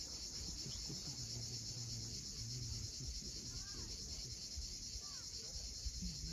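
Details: At sunset on Crimea's steep coast near Cape Fiolent, cicadas keep up a dense, even high buzz throughout, with a few faint chirps and low rumbling sounds beneath.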